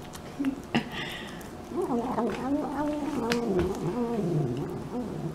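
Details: A pet cat eats and keeps up a run of wobbly, moaning murmurs that bend up and down in pitch, preceded by a few soft clicks and chewing sounds in a small room.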